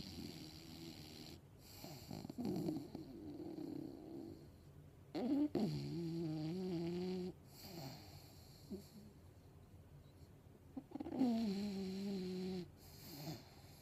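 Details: English Bulldog snoring while asleep and dreaming; low rough rasping breaths, with three louder tonal droning snores of about a second or two each, amid faint background hum.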